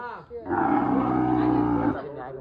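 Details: Cow being bought for Qurbani gives one loud, steady, drawn-out moo lasting about one and a half seconds, low and rich in harmonics, with people talking just before and after.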